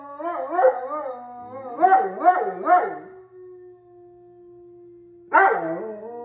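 An Alaskan Malamute 'talks' in wavering, rising-and-falling howly syllables, then holds a long low tone.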